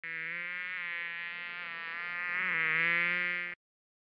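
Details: Fly buzzing in a steady, droning hum lasting about three and a half seconds, with a low rich tone that swells slightly louder near the end before stopping abruptly; no other sounds.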